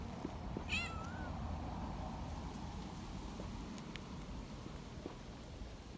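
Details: Outdoor young community cat, thrilled at being held, lets out a brief shrill cry that rises then holds a thin, high tone for half a second over constant low rumble.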